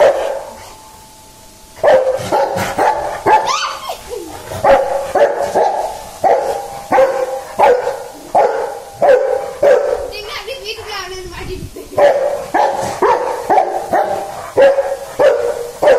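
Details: After a brief near-silent start, a dog barks insistently, rapid and uneven, over a dozen sharp barks with a higher whining smear mid-sequence before the barking resumes at the same steady, excited pace.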